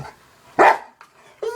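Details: Household dog barking at cat videos: one loud, clipped bark, a short pause, then the start of another harsh bark.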